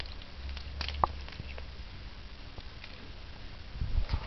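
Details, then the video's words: Cornish Rex cat eating salad indoors: soft crunchy bites and scattered chewing clicks, one sharper crunch early on, a few quieter nibbles later, all over a low steady room hum. "Cornish rex Helga syö salaattia"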